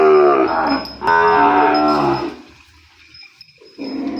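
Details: Calf separated from its mother and not allowed near her, bawling in a pen: two strong harmonic cries back to back, then a quiet pause before another bawl begins at the end.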